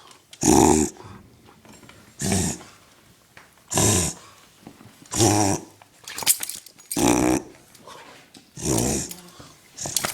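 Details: A dog doing a reverse sneeze gives a run of rough, honking, rhino-like snorts, each a short noisy burst about every second and a half; a person speaks briefly near the end.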